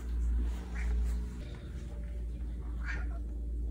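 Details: Siamese cat Simon giving quiet indoor meows, part of a series growing softer each time: two brief, faint meows roughly two seconds apart against a constant low-pitched room hum.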